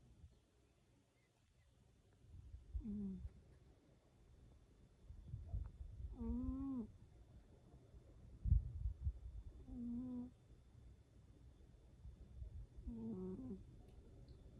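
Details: Sleeping cat snoring steadily, a deep grumbling rasp on each breath capped by a brief nasal squeak, the pattern recurring roughly every three to four seconds in a quiet room.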